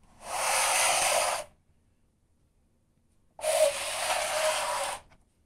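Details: Cat scratching at its litter, heard as two broad, hissing scrapes of about a second each separated by a short silence, dry and gritty with no voice.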